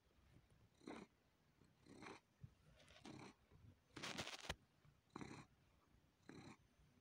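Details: A domestic cat sucking on and kneading a person. Breathy, rasping bursts come roughly once a second, each about a third of a second long, separated by quiet pauses. One louder, harsher burst occurs near the middle.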